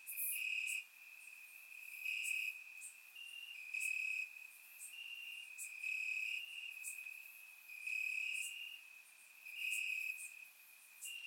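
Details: Night chorus of crickets in grass, Bulgaria, warm summer evening, surround recording: unbroken high-pitched trilling with rhythmic surges in loudness about every two seconds and scattered very high clicks from other insects.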